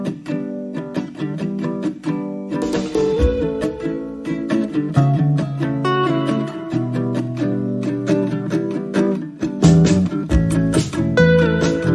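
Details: Strummed acoustic guitar music plays throughout, with plucked notes and chords and no animal sounds.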